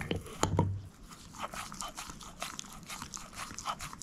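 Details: Moose, a female shepherd mix dog, gnaws on a bone: a thud near the start, then sharp crunches and cracks spaced irregularly through a quiet background.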